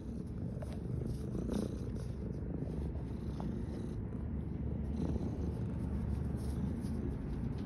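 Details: A tabby cat purrs steadily, a low continuous rumble with a soft pulsing rhythm.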